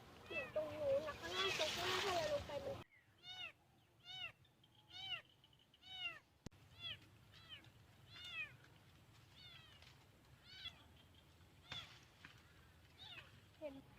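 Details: A lost kitten, heard from a field and found hiding in a hollow on 9 August 2023, cries with thin, high meows, each arching up then down, about twice a second; it was feisty and might bite.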